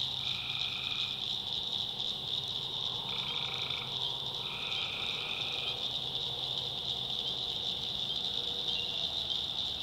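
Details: Tree frogs calling at night in the backwoods of North Carolina: steady high shrill chorus with overlapping drawn-out trilled calls, each lasting one to two seconds, over faint low hum and insect-like buzz.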